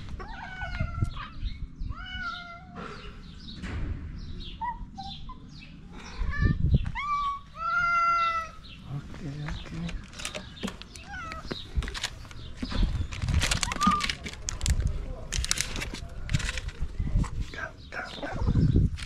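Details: Homeless street cats in Morocco meow to be fed. Repeated bright, arching meows come in quick succession over the first eight seconds. Then come rustling, clicks and a man's voice nearby.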